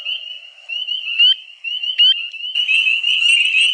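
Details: Male spring peepers calling to attract females for breeding at a fish-free vernal pool in spring: a dense, shrill chorus of high whistled peeps that overlap into a near-continuous ringing tone, with sharper individual peeps standing out every second or so.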